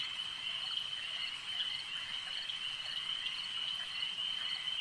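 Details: Frogs calling at a lake: a dense, continuous high trilling chorus of many overlapping callers, steady throughout with faint rapid pulsing and no other clear sounds.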